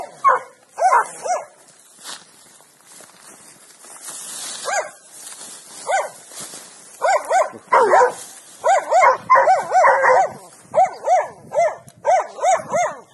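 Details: Hunting dogs bark in rapid, ragged bursts during a hunt in a swamp, baying at a young wild boar they found lying in its nest.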